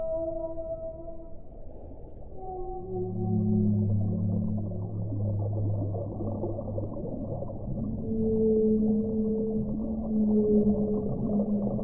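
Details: Whale song: rich, sustained moaning tones stacked in layers, some held for several seconds, rising and falling through the clip. The moans come in slow waves, with a muffled low rumble throughout.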